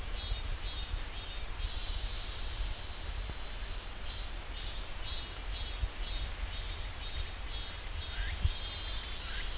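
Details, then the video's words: Cicadas singing in a pine forest at Ssanggyesa temple, Jirisan National Park: a steady, unbroken high-pitched shrill drone fills the whole recording, with faint repeated ticking pulses beneath it. "지리산 쌍계사 소나무 숲 매미 소리"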